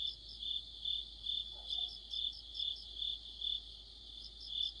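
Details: Crickets chirping in an autumn night chorus near a streetlight, a regular high pulse about twice a second over a faint hum, with one brief soft sound midway.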